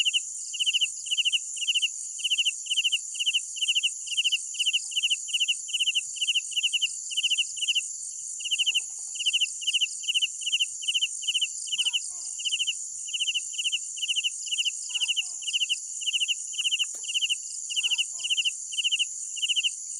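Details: Crickets chirping steadily at night, pulsed chirps following one another about every half second in an even rhythm throughout, set against an unbroken high-pitched insect chorus with sparse soft ticks.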